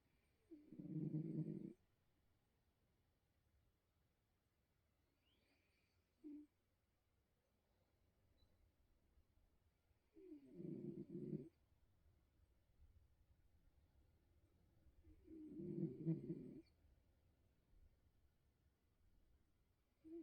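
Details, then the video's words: Bengal cat snoring while asleep, likened to a donkey; loud, gravelly, rumbling snores roughly every five seconds, with a brief weaker snort between them and soft breathing in a quiet room. "Cat snores like donkey"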